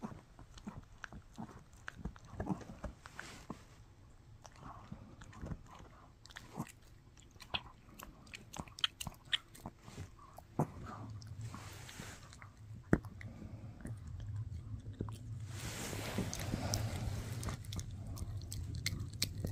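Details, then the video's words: Mikki the Shih Tzu works on a no-hide bully stick: crisp snapping bites and crunches, fairly steady, followed by a swelling rustling, shuffling noise toward the end. "Shih Tzu Chewing on a Bully Stick"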